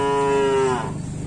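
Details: Bull-race cattle training at the Asemanis track, Pamekasan, ahead of a kerapan sapi event, give a short, clear, level moo of under a second that fades into crowd murmur.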